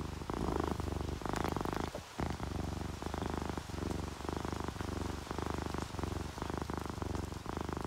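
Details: Close, deep purring from a relaxed domestic cat, orange tabby or calico, in repeated rumbling bursts with a brief pause near the two-second mark, faint rain beneath.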